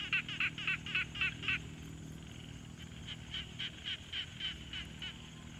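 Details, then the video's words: Pond frogs in a field recording made with a Tascam Portacapture X6: six loud grating croaks in quick succession, then a fainter, more distant frog continuing the same pulsed rhythm over low hum. "Frog Sounds| #001 |Quiet Pond Nature Ambience"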